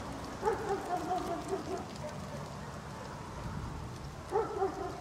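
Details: Angry guard dog barking at a distance: a short burst of several harsh barks early on, a quiet gap, then another pair of barks near the end, over a steady background hiss.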